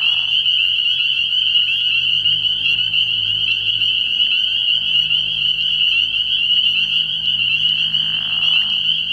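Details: A night chorus of spring peepers from a frog pond in early spring: countless high, piercing peeps merge into one unbroken, ringing wall of sound, with a soft low rumble of a bullfrog in the background and a brief muffled noise near the start.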